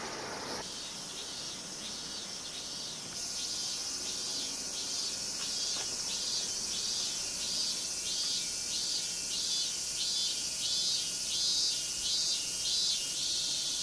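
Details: Cicadas in Minami-Magome, Tokyo, Japan, on a summer day in August 1991: a dense high buzzing chorus that pulses in regular waves about every second, with a faint steady tone underneath.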